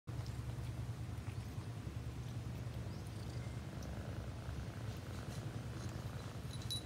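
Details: A cat purring: a steady, low, rumbling pulse that runs through the whole stretch without a break, with a few faint, soft ticks and rustles above it.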